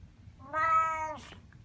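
A Siamese cat gives one loud, drawn-out meow, steady in pitch and rich in overtones.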